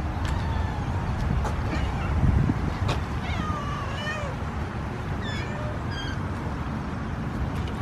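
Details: Domestic cats meowing while hungry and waiting to be fed: several thin, wavering meows in quick succession, partly masked by steady low rumbling background noise, with a few clicks and a person calling to them.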